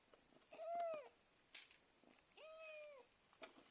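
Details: Domestic cat calling for food: two drawn-out meows about a second apart, each rising briefly, then holding level before falling at the end. A faint click sounds between them in a quiet room.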